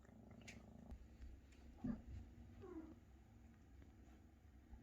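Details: Maine Coon kittens, already almost half their mother's size, purr while mother cat Luna feeds and cares for them; low steady rumbling purr underneath, with a short rising chirp near two seconds and a softer sliding call shortly after.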